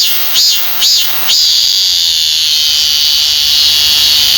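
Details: Korean cicada, called one of the most commonly seen cicadas in Korea: three arched, wavering pulses open the recording, then settle into a continuous shrill, high buzzing drone that runs to the end.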